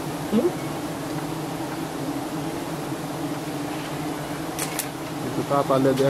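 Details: Giant honey bees at a nest being harvested by honey hunters in Thailand: a steady, low droning hum holds throughout, with a short burst of human voices near the end.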